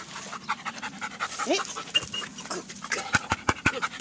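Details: Female dog panting in quick, uneven breathy puffs, with a few sharp clicks and short vocal sounds mixed in.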